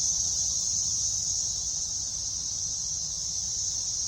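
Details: Periodical cicadas of an unknown 13- or 17-year brood, emerged from underground after years feeding on roots, calling in a park overlooking a lake in North Carolina, 2024: an unbroken, high, hissing drone that holds steady throughout.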